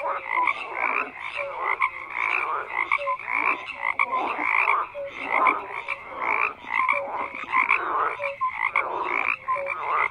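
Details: A dense chorus of many frogs croaking together, overlapping pulsed croaks with short tonal notes repeating throughout, forming a continuous rhythmic wall of sound with no other noises.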